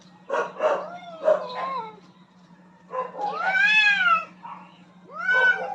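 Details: Pair of aggressive cats contesting dominance on a rooftop, giving short harsh cries followed by long, arching, rich-toned yowls that swell and fade, one after another, over a faint steady hum.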